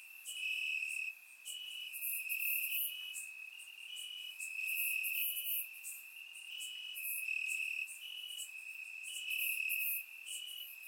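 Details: Crickets chirping in grass on a warm summer night in Bulgaria, surround microphone recording; steady high pulsing trill with overlapping callers, continuous chorus with slight rises and falls in loudness.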